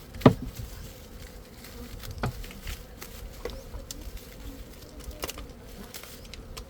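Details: Honey bees giving a constant low buzzing drone, joined by occasional sharp clicks and knocks, including a loud tap at the very start.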